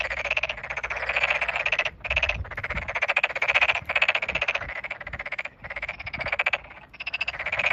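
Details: Chorus of Tokyo Daruma pond frogs in a newly flooded rice field on 8 May 2022, individuals calling near at hand; rapid clicking trills roughly two seconds long, separated by brief silences, with overlapping voices throughout.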